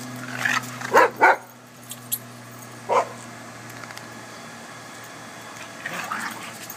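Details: Boston Terrier at a doggie daycare, playing with another dog and making awful-sounding noises to invite play; harsh, raspy bursts cluster around the first second, a single burst follows near three seconds, then softer rumbling.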